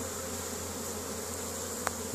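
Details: Foraging honey bees at the hive in Caribou, Nova Scotia, Canada, on a spring day, 10 May 2015, some landing on a hand; steady buzzing drone of many bees with one sharp click late on.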